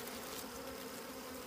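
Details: Brief steady drone of wild bees near a hidden honey nest in the wild, a low even hum with hissy background.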